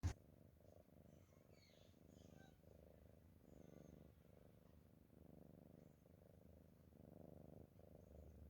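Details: Sleeping cat snoring softly, low rumbling breaths pulsing steadily about every second and a half in a quiet room, with a brief sharp click at the very start.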